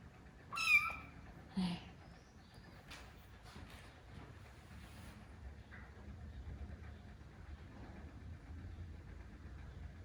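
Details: Domestic cat indoors during a first meeting between rescued kitten Lara and older cats Kuu and Noa; one sharp, high meow early on, a brief squeak after it, then quiet room noise.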